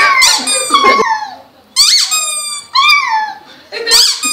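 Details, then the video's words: Pet puppy 'singing' indoors: four high, squeaky, toy-like howling bursts, each a stacked whine that slides downward in pitch, spaced roughly a second apart with short quiet gaps between. "singing dog"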